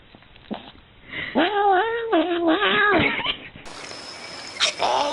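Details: Cat. A domestic cat produces a string of long, warbling meows whose pitch wobbles and slides, giving a talkative quality. A second, brighter meow follows after a short break.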